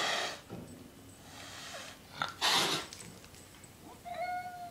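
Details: An unhappy Siamese cat, being chased around by a 43-pound, 6-month-old lab/shepherd/catahoula puppy, gives a drawn-out, steady-pitched meow after bursts of scuffling noise.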